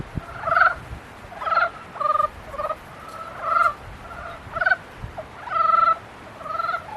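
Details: Frogs calling during the mating season: about eight separate nasal, reedy croaks, each roughly half a second long, spaced under a second apart over a quiet background.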